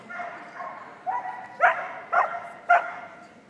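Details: Seven-year-old Border Collie agility champion barking at the start of an agility run at Crufts 2020, called a vocal dog; four sharp, harmonic barks roughly half a second apart over faint arena murmur.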